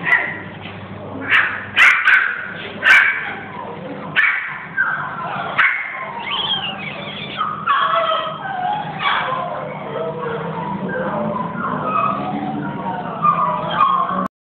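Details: Spitz at a dog centre; sharp barks in the first seconds, then a dense stretch of overlapping yips, whines and high barks continuing to the end, over a steady low hum.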